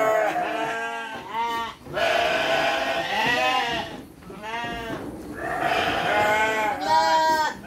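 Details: Livestock sheep at feeding time with children: a series of loud, trembling bleats, some drawn out over a second, at irregular intervals among children's talk.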